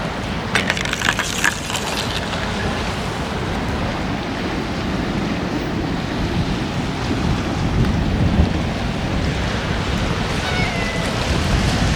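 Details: Strong wind roars steadily against the microphone, a broad rushing noise with a few brief clatters early on and no animal calls.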